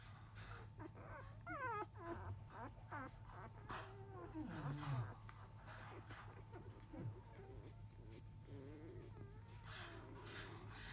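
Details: Newborn field-type Labrador Retriever puppies, five days old, shortly after 1 pm with the mother dog gone to eat; repeated thin squealing whimpers and wavering whines, some rising and falling, over a constant low electrical hum.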